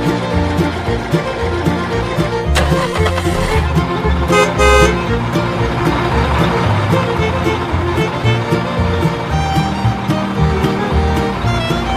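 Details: Loud instrumental music with a strong bass line over traffic noise, with no animal voice heard.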